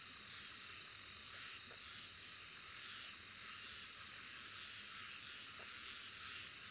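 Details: Continuous shrill insect chorus, a bright high-pitched wall of buzzing with a rapid beating trill running beneath it, steady in volume, with occasional faint low clicks.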